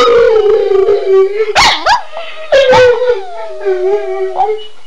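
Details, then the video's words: {'caption': 'A pair of domestic dogs worked up by a spoken cue, giving long steady howls that waver and dip, interrupted by two loud yipping bursts, tailing off into a softer drawn-out howl.'} "Howling Dogs II"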